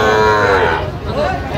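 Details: Sahiwal bull calf at a crowded cattle market in Jessore, Bangladesh, giving a loud, steady, harmonic-rich moo lasting about a second, with market crowd noise behind it.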